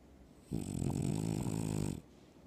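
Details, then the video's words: A French Bulldog dreaming on its owner's chest gives one long, loud, rumbling snore, deep and rattling like a man's. "Adorable loud snoring dog, sounds just like a man!"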